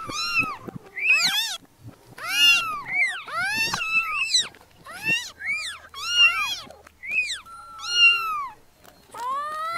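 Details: Several tiny newborn kittens mewing insistently. Their high, bent cries rise and drop, overlap and follow each other closely, with a few long, sliding wails near the end.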